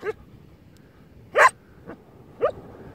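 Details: English Cocker Spaniel playing and digging tunnels on a beach, giving a few short sharp yips and barks spaced about half a second apart, with a quiet background.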